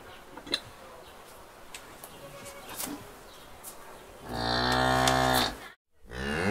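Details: Cow lowing: after several seconds of soft background noise and scattered ticks, a loud, rich moo swells up, breaks off briefly, then resumes.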